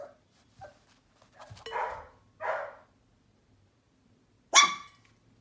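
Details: A one-month-old Sheepadoodle puppy lets out small yips, then a rough, raspy burst of barking and a final sharp, piercing bark after a short pause.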